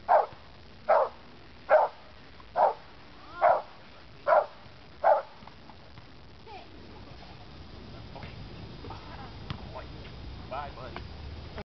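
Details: American Pit Bull Terrier named Brutus in protection training, 4/10/08, gives seven rapid, evenly paced barks in the first five seconds, then falls silent while faint voices and scattered background noises continue.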